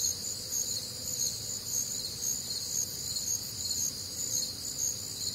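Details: Night chorus of crickets on a humid Midwestern summer evening; high trilling chirps in overlapping layers, rising and falling in a slow regular pulse, with soft low-pitched ambient noise underneath.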